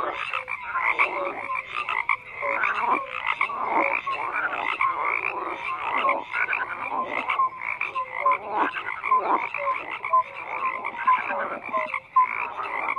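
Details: A dense frog chorus of overlapping rattling croaks and brief tonal chirps, pulsing in irregular waves about every second, continuous and uniform over the whole stretch.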